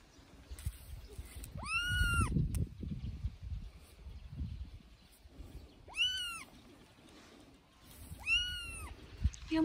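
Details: Three-week-old kitten playing on a man's shoulder, meowing loudly: three high, arching meows spaced a few seconds apart, with a man speaking softly and rustling in between.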